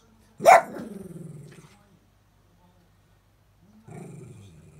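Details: Miniature Dachshund growling a rough, nasal whine to urge its owner back from the next room, not angry; a sharp onset then a buzzing, pulsed growl falling in pitch, silence, then a second shorter rasping growl.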